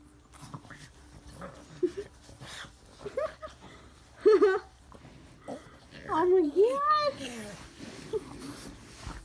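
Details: A Boston Terrier puppy whines and yips excitedly in rising and falling squeals when a woman hides her face from him, eager to lick faces, with her voice in the background.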